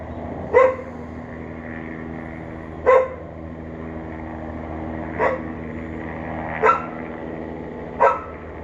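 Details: Unattended dog outside barking because it hears a neighbour, May 28, 2022, late morning; five barks at uneven gaps of about one to two and a half seconds, with a constant low rumble like distant traffic.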